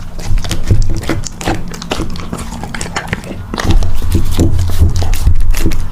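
A puppy chews and crunches its food, making rapid, uneven clicks and smacking bites several times a second. A constant low hum runs underneath throughout.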